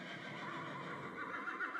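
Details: Horse neigh: a sustained, quavering whinny that wavers in pitch and grows slightly louder toward the end, with faint background rustle.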